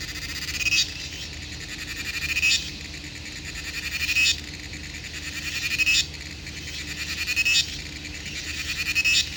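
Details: Cricket insect calling: high, buzzy pulsed trills that swell in loudness and cut off abruptly, repeating about every one and a half to two seconds, over a faint low hum.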